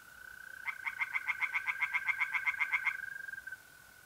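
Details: Tree frogs singing in a pond on an April night in north-east Italy. The frog gives a burst of quick, even, nasal pulses, about four per second, lasting two seconds. A steady high mole cricket trill runs beneath it.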